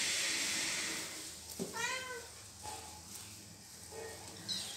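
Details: A kitten being bitten by its mother cat gives a high, wavering meow, a distress cry for help, over a steady hiss.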